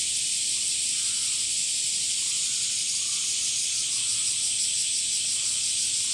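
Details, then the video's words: Steady, shrill, hiss-like buzzing from male cicadas in summer, sung with their abdominal tymbals. It runs without pause and has a faintly pulsing texture. No other sounds stand out. "THE SOUNDS OF CICADAS ( semi goe ) THE SUMMER INSECT"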